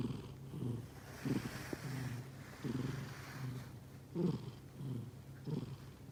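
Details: Sleeping cat breathing with soft snoring: low, rough breaths repeated about every one and a half seconds over a steady low hum.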